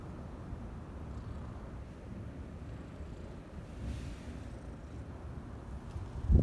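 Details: Brown tabby kitten, a park stray resting on a leaf-litter bed covered with cloth, purring sleepily while being stroked on Cat Day, 22 February; a steady low continuous rumble throughout, ending in a brief loud handling noise.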